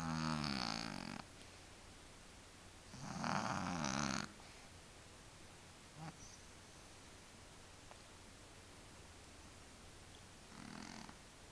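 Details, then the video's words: Willy, a male house cat with a sinus problem, snoring: two long rasping, wheezy breaths with a harmonic buzz in the first four seconds, then a short snort and one softer snore near the end, with quiet background between. "Kater schnarcht"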